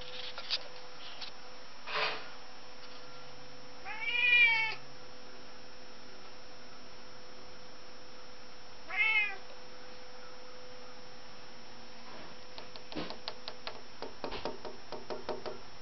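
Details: Indoors among windows, couches and curtains, Zeuss the cat hunts a fly: a short chirp, then two drawn-out, rising-and-falling meows several seconds apart, followed by a run of light tapping clicks against a low hum.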